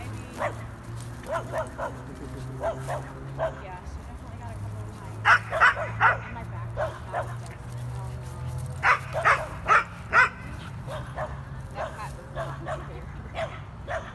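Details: Corgi Nessi and Chihuahua mix Miles playing together: sharp, loud barks come in quick clusters, several in a row, then short pauses and further bursts, with people talking steadily underneath.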